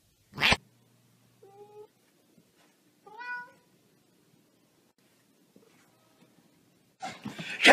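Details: Domestic cat indoors, hiding under a couch, gives two short, soft meows a second or so apart, the second slightly rising; a man talks before and after, with loud rustling bursts at the start and end.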